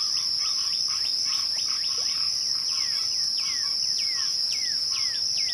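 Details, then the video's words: Crickets at twilight keep up a steady, unbroken high-pitched trill. Repeated falling, whistle-like sweeps from another caller come roughly every half second over it, growing clearer toward the end. "twilight crickets"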